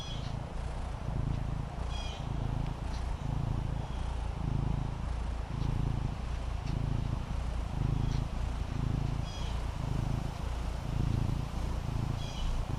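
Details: Fendi, a female Maine Coon kitten, relaxing on a patio, purrs in a steady, low, rumbling rhythm. Each breath cycle swells about once a second, with faint higher clicks now and then over quiet outdoor background.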